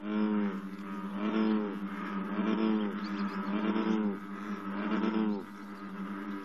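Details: Morning chorus of American bullfrogs at 54 degrees, many voices overlapping in a repetitive pattern: deep, droning, harmonic croaks rising and falling about once per second, steady throughout, with a slight drop near the end.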